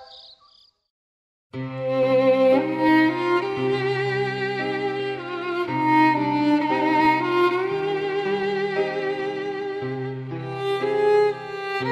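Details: After a brief near-silent opening, bowed string music with sustained violin and cello notes plays throughout, with no animal sound.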